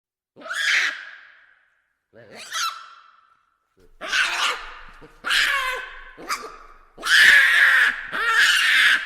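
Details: Baboons calling in a series of harsh, arching cries with rich harmonics. Two short separate calls come first, then a quicker run of louder, screechier bursts, each followed by brief silence.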